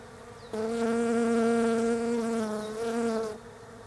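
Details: Close pass of a European honey bee working Desert Ash blooms on a bare-branched tree in autumn, Australia; a loud, even buzzing drone begins abruptly, dips briefly, then returns before cutting off.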